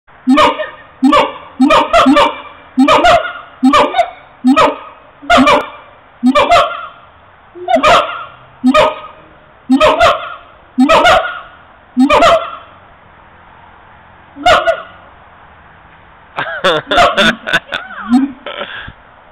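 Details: Siamangs recorded on a mobile phone: a run of about a dozen loud, harsh, honking barks with rich overtones, spaced under a second apart, then a brief burst of wavering, sliding notes near the end.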